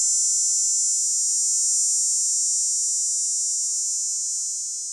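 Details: Cicada mating call recorded in summer in Nova Scotia, a continuous, high-pitched electric buzz that drones steadily without a break.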